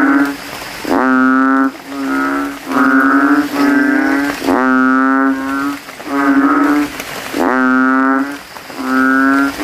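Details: Banded bullfrogs calling from a cemetery puddle at night after rain, throats inflated, rival males competing to be loudest: deep, nasal, mooing bellows about a second long, repeated with brief pauses, voices overlapping in a steady chorus.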